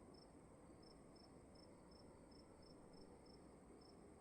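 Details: Cricket chirping inside a room, soft bright pulses spaced about every half second, evenly repeated, set against a steady low rumble and faint background hiss.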